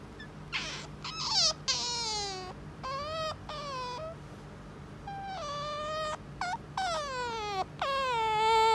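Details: Pet otter kept indoors, which noisily demands petting from its owner: a run of shrill, harmonic whines, each sliding downward and then levelling off, coming in quick bursts with brief gaps between.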